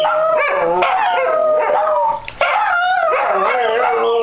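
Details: Pet Dachshunds howling in chorus at home on New Year's Day, started by Missy's barking before a walk. Layered wailing notes rise and fall, with a short gap near the middle before the group howl swells again.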